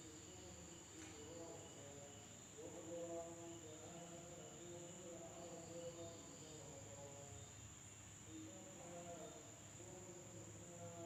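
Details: At night in a village in Indonesia, insects give a steady, high-pitched trill that rings without pause.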